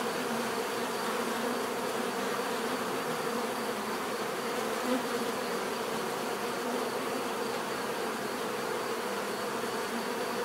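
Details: Constant hum of numerous bees buzzing naturally, a flat, dense drone with one short close buzz near the middle.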